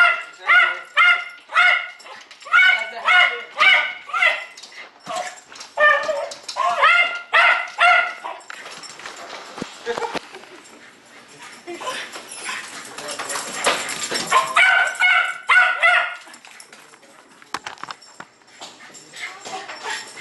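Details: Jack Russell Terrier named Jay, a pet with dependency issues, giving rapid high yapping barks in runs of about two per second, pausing mid-clip amid rustling noise, then resuming its insistent barking.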